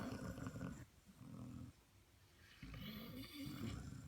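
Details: Two Basset Hound puppies, Sherlock and Watson, asleep and snoring; low grumbling rasps in three bursts under a second long, slightly growl-like, with a faint high hiss near the end.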